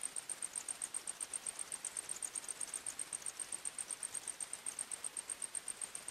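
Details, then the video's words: A single dominant cricket chirps at night in a forest, a very high, rapid, evenly spaced pulsing that runs unbroken, with soft noise beneath. "45 Minutes Criket Sounds, Night time Forest Sounds"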